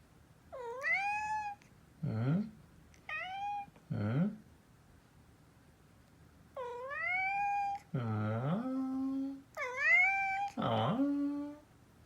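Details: Kinta, a male orange tabby and former rescue kitten from a cat cafe, meows indoors in high, rising-then-falling cries. Each one is answered by a person's much deeper imitation. Six cat meows alternate with the human copies over twelve seconds.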